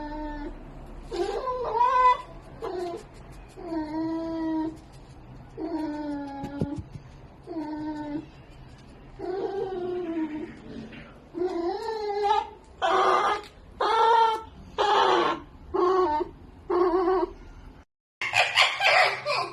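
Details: A sleeping pet red fox calls out strangely: drawn-out, quavering, moaning whines repeated every second or two, giving way to louder, harsher screeching bursts near the end.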